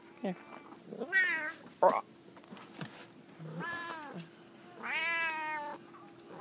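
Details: F2 jungle cat hybrids, Big boy and Auntie Suzy, on an indoor jungle gym; one of them gives three drawn-out, harmonic meows, rising then falling, the last and longest near the end, with a steady low hum and faint household noise.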